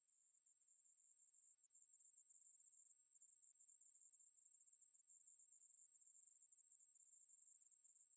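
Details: Conehead katydid (maebuli) giving a steady, unbroken high-pitched buzz that fades in over the first two seconds and then holds even throughout, with no other sounds present.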